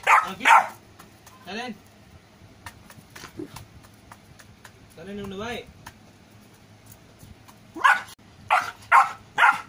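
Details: A Golden Retriever puppy gives sharp, high barks with a few wavering whines between them, while someone repeatedly says "no."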